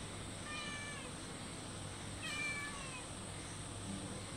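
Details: Cats meowing for food in front of a house, some from a wall and some by the door: two drawn-out, falling meows about two seconds apart over a steady low hum and hiss.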